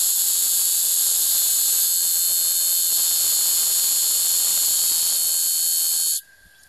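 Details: Cicada calling while mating: a loud, continuous, high-pitched hissing buzz held perfectly steady for about six seconds, then cut off abruptly, leaving near silence.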